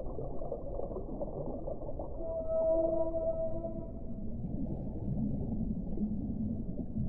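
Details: Whale song with a few long, steady tonal moans held for about two seconds in the middle, over a low, murky underwater rumble.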